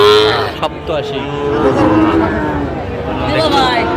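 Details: Sahiwal bull calves for sale at the Aftabganj cattle market in Bangladesh, 16 August 2025. A short moo at the start and a sagging, longer low call midway, under continuous voices of buyers and sellers.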